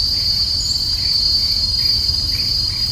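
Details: Kuliglig, a cicada, calling in the mountains: one continuous, high, even shrill tone holds steady throughout, with a brief higher note early on and a low rumble underneath.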